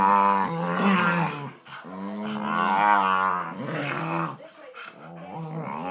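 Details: Two Staffordshire Bull Terriers play fighting indoors: drawn-out, throaty, wavering growls and whining snarls overlap for several seconds, with brief pauses between bouts.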